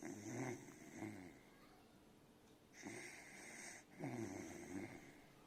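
A sleeping Beagle puppy snores in soft, rasping breaths, each lasting about a second.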